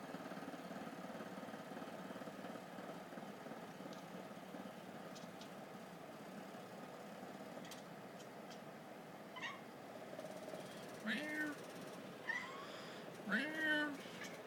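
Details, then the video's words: Pet female cat making odd clicking sounds just before vomiting: sparse faint dry clicks spaced a few seconds apart, then louder harsh, heaving gagging bursts near the end, over a steady low background hum. "My Cat making funny noises"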